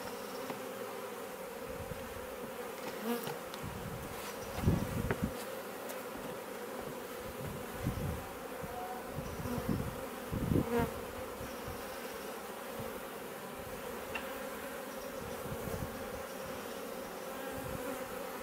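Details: A swarm of honey bees coming and going at a bait hive they moved into, in a garden in Leicestershire, England, in June; steady dense buzzing hum with several louder passing buzzes and low rumbling handling bumps.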